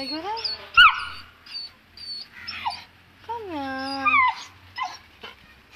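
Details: Two-month-old Saint Bernard puppy, afraid to go down stairs, gives thin high whimpers and drawn-out falling whines while a woman coaxes it down with soft words.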